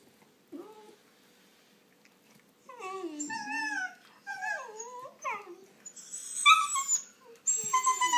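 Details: Shiba Inu puppies playing and squabbling over a toy give high, wavering whines and yelping squeals in bursts.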